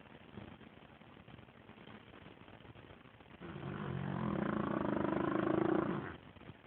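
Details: Gertie the dog snoring in her sleep, likened to a dinosaur: after about three seconds of quiet low hiss, a long, rough, rumbling breath swells for nearly three seconds, buzzing and harmonic, then cuts off.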